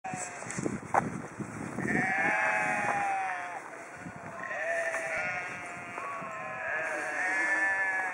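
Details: Several sheep in Haugesund, Norway, give drawn-out, quavering, nasal bleats that wobble in pitch and overlap, with some low rustling and knocks beneath them.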